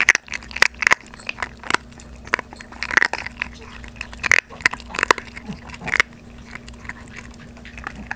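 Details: Two 3.5-month-old Maltese puppies, Obok and Dabok, crunch dry kibble indoors on their first day of unsoaked food, with a microphone held close. Sharp crisp crunches come in irregular bursts, and a steady low hum runs underneath.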